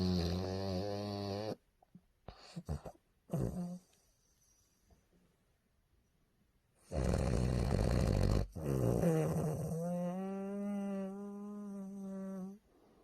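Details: Sleeping bulldog, tired and napping peacefully, snoring very loudly in a small room. Rough rattling breaths alternate with a sustained whistling, humming snore, with brief silent gaps between breaths.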